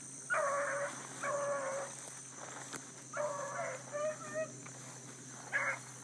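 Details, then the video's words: Bluetick hounds running hard after a rabbit early in the morning; drawn-out ringing bays, each lasting nearly a second, sound in bursts with short gaps, distant over a steady high hum of insects. "THE BLUE'S ON A BIG RUNNING RABBIT"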